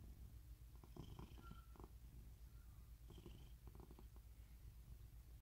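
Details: Rescued cat living in a permanent home in Cooktown, Queensland, Australia, purring with a steady, low, rumbling throb throughout. Brief faint higher squeaks and clicking near the first and third seconds.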